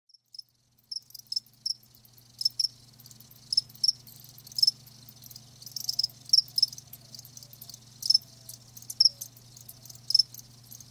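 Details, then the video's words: Live crickets chirping: short high bursts repeated roughly every half second to second, each with a faint tonal note, over a steady low hum in the background. "Live Crickets 60min "Natural Sound""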